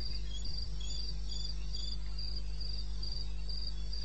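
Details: Cricket call from eastern Botswana wilderness, recorded 21 May 2016 at 02:30; high thin pulses repeat quickly and somewhat unevenly, with fainter neighbouring chirps and a low continuous hum underneath.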